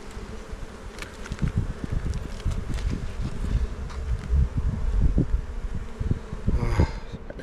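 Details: Kept honey bees humming low and constantly in an opened hive on Jirisan, Korea. The bees stayed in because of bad weather. Dense crackles and knocks come from frames being lifted during the inspection.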